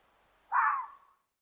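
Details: Single fox yell played from a website, a harsh hoarse cry like a little dog yelling, about half a second long and fading out; no other sounds.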